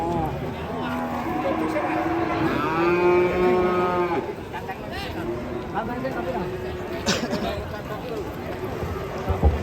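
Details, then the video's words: An agitated cow gives a full, loud moo lasting nearly two seconds, steady in pitch before dropping off. Softer moos from other cattle and short human remarks follow in a busy livestock setting. "SAPI NGAMUK SPILL EDAN SAMPE HILANG INGATAN"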